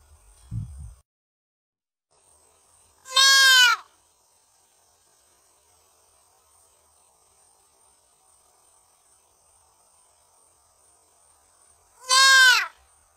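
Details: A deer fawn looking for its mother gives two loud, nasal bleats about nine seconds apart, each under a second long and dropping slightly in pitch, with a faint high steady whine and a soft thump early on.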